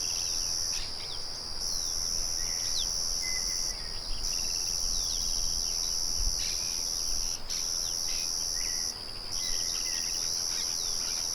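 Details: Crickets produce an even, high trill, interrupted by short gaps every couple of seconds, in a rural setting with a windmill murmuring. Birds chirp and whistle softly throughout, and there is a brief low thump near six seconds.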